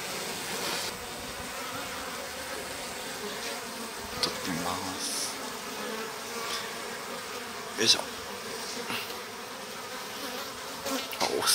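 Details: Dense, steady buzzing of a Japanese honey bee colony in a stacked-box hive in spring, heard as the sliding bottom board is opened, with male drones present; scattered clicks and knocks of handling the hive, and a man speaking softly.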